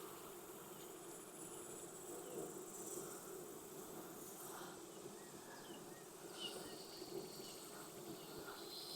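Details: Honey bees at a backyard hive in Texas during an inspection on a hot day near 92F after weeks of rain, brood frames open; a steady low droning hum of many wings with occasional brief higher whines of bees flying past.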